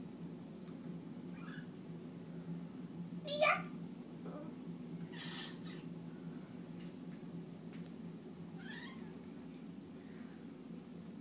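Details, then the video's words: Domestic cat, described as singing, gives a few separate meows indoors, one louder and sharper near the middle, against a constant low background hum and a person's voice. "Cat singing"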